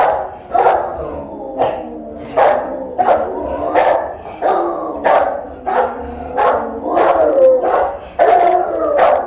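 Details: Rottweiler guarding the house alone while its owner is away, caught by a phone left filming; a steady string of a dozen sharp, ringing barks, about one each second, some stretching into a short rising yelp near the end.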